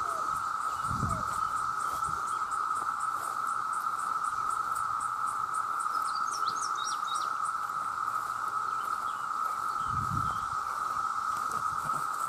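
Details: Calling to attract mates, a vast crowd of male cicadas makes a flat, intense continuous buzz. Distant birds twitter briefly in the middle, and two low thumps or rumbles come near the start and end.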